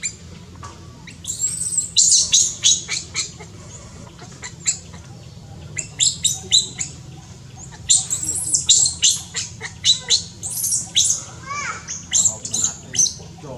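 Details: Monkeys in Cambodia around a newborn baby monkey in tall trees. Many sharp, high squeaky calls come in quick clusters, with short gaps between bursts, over a steady low background hum.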